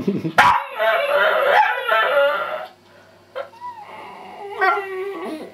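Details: A pet dog 'singing': a burst of loud, wavering, tonal howling with rich harmonics that slides and quavers for about two seconds, then softer whining tones rising and falling after a short pause.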